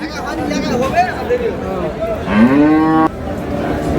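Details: Cattle at Ambari haat livestock market, Dinajpur, Bangladesh, where cows with calves are sold, 27 March 2026; a short rising moo arcs upward and holds briefly near the end, over steady market chatter and bargaining voices.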